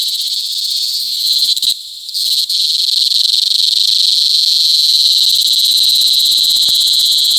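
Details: A cicada in La Carlota City, Negros Occidental, makes a loud mating call during cicada season on July 18, 2020, heard close: a shrill sustained drone that dips briefly near two seconds, then returns strong and pulsing.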